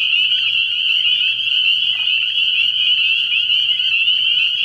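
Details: Massed spring peepers at a pond after dark in early spring, a shrill, continuous high-pitched chorus of overlapping peeps with a soft steady drone below.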